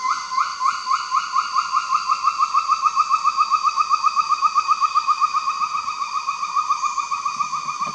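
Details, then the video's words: Mentawai gibbon giving its morning call: a steady run of short, pure whistled notes, each sliding upward, repeated almost four times a second in an even, pulsing series that lasts throughout, with little background noise. "Mentawai Gibbon Morning Call"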